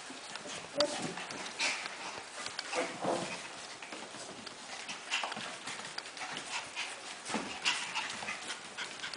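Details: A litter of Havanese puppies panting softly in quick breathy bursts, a few high thin squeaks scattered through the low, airy background.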